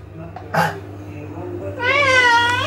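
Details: Indoor Maine Coon cat answering a woman speaking French with a long, wavering meow near the end, preceded by a short noisy burst; steady background hum.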